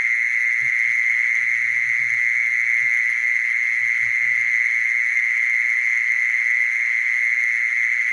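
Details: Mole cricket calling: a steady, unbroken buzzing trill held at one even pitch for the whole clip, rich in overtones, with faint low thumps and rumbles in the first few seconds.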